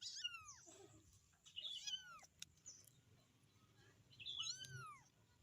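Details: Three shrill, downward-curving meows from a kitten calling its mother, spaced roughly two seconds apart over a soft low rumble.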